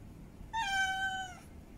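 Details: A single drawn-out meow, nearly a second long, level and slowly falling, rich in harmonics, from a female cat in heat calling to mate.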